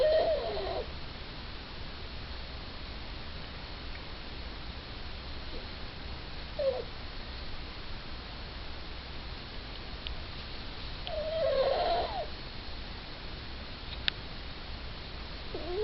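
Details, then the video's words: Suzette, a little female Yorkie, snoring in her sleep with short squeaky whistled breaths at the start, a faint one mid-way and a louder wavering whistle-snore later, over constant low background hum. "Suzette Snoring"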